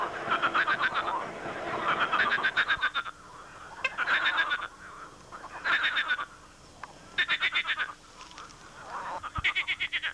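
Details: Frogs calling loudly in a swamp, perhaps during mating season: rapid trains of rattling pulses grouped in bursts roughly every one to two seconds, with several frogs overlapping and some brighter, higher croaks.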